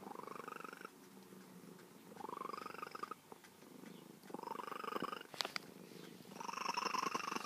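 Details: Feral female cat, tamed over years of patient care, chatters in four rising, bird-like meows spaced roughly every two seconds, with a brief sharp click midway.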